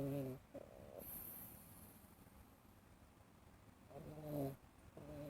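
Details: Sleeping, dreaming cat in an Elizabethan collar snores softly: low, buzzy, slightly tonal snores repeat in a steady breathing rhythm, a pair at the start, another near four seconds and one more at the end, against quiet background hiss.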